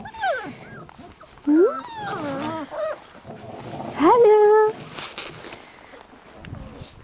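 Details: Labrador Retriever puppies from a B litter racing through frost let out high, sharply rising whining yelps, some drawn out into level whines, scattered over a few seconds while a person speaks encouraging words nearby.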